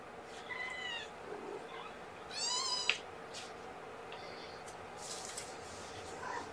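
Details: Young kitten from Gamora's litter of five mewing at an indoor morning feeding; a thin high mew early, then a louder harmonic-rich cry near two and a half seconds, over steady low room hiss and faint handling sounds.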